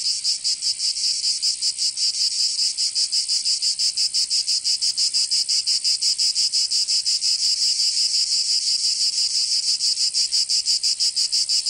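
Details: Summer cicada chorus from Provence in the south of France, a harsh shrill drone throbbing in rapid regular pulses, roughly three per second, unbroken across the whole stretch.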